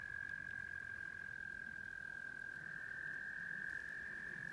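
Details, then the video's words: Spring rain brings out tree frogs singing near an off-grid prefab house, their sustained high-pitched trill running unbroken for the whole stretch over a low, rough background hum. "the tree frogs sing!"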